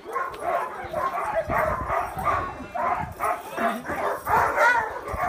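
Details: Many sled dogs at a trading post in Yukon Territory, Canada, excitedly barking as if asking to be picked to pull a cart that trains them for winter sled pulling; dense overlapping barks and yips throughout.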